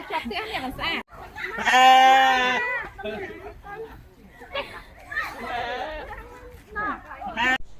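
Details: Sheep at a farm in Cambodia: one loud, wavering, drawn-out bleat lasting under a second, then a shorter bleat later, with a woman talking in Khmer almost throughout.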